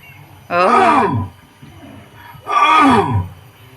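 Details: A lion at Taiping Zoo, Malaysia, gives two deep, moaning roar grunts, each sliding downward in pitch and under a second long; the parent lions call from inside the enclosure, near their cub.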